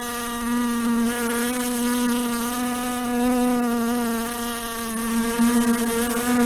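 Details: Continuous droning buzz of a fly, its low hum rising and falling gently in pitch and volume as it flies, with bright overtones layered above and a few brief flutters near the end.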